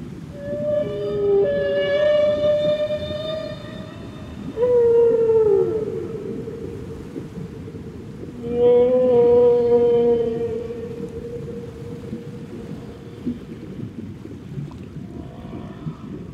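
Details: Whale vocalising underwater: several long, rich harmonic moans, each a few seconds long, some with a downward slide at the end, separated by pauses, over steady low rumbling noise.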